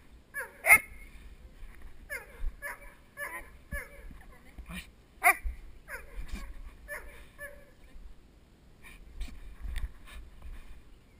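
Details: River, a nine-month-old Doberman puppy, barking at the helper in protection work training, captured on a head-mounted GoPro Hero2; a loud opening bark, then a run of shorter, uneven barks and yips that thin out toward the end.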